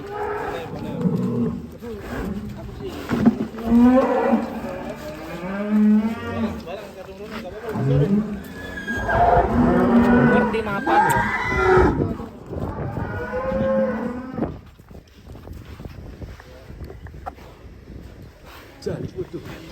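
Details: Cow (sapi) with a child riding it: drawn-out lowing moos with wavering harmonic tones, several separate calls rising and falling across the stretch, amid background noise and some voices.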